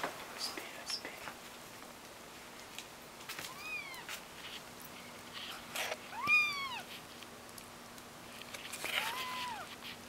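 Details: Kittens learning to walk give three high, arched meows spaced a few seconds apart, each rising then falling, with the middle call loudest; soft clicks and scuffling sounds fill the gaps.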